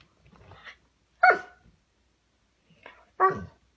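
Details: Golden retriever giving two short, sharp barks about two seconds apart, with softer faint sounds before each one.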